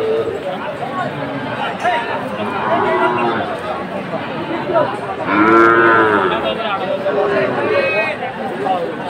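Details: Sahiwal bull at a cattle market, bought by a farmer from Chittagong on 7 September 2024; one drawn-out, harmonic moo swelling then fading midway, over dense crowd chatter, voices and market din.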